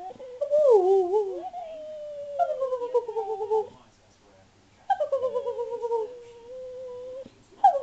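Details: Pet spaniel named Louis answering back to his owner with long whiny vocalizations, wavering then gliding slowly downward, in several drawn-out phrases separated by brief silences, indoors.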